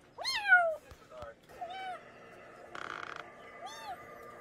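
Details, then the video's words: Domestic cat meowing, meant for repelling rats in the countryside: a bright rising-then-falling meow, a few short clicks, then softer drawn-out mews, with a brief buzzy noise burst between them. "고양이 울음소리 ASMR 시골쥐 퇴치용 효과"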